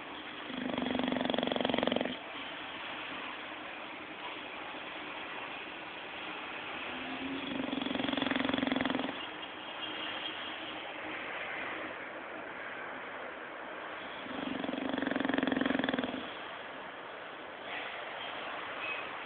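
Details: Bulldog named Zé snoring while sleeping and dreaming indoors: three long rattling snore bursts, each about two seconds, spaced roughly every seven seconds, with quiet breathing between.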